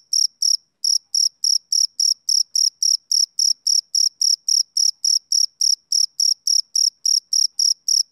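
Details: Rhythmic chirping of a male cricket on a summer evening, bright high-pitched pulses at roughly three or four per second, one brief skipped beat early on, otherwise even and uninterrupted, nothing else audible.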